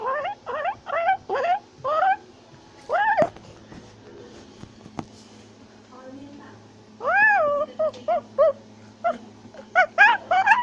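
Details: Tufted capuchin, an arboreal primate of South America, chattering and shouting as it climbs a tree; a quick run of four rising-falling cries, a lull with faint clicks, then a loud renewed burst of rapid harmonic calls.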